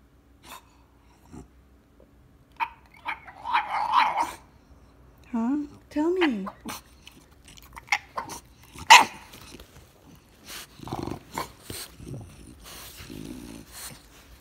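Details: French Bulldog at home demanding his morning walk: a series of wavering, talking-like grumbles and whines with rising and falling pitch, a sharp bark near the middle, interspersed with snorts, and a person speaking Spanish.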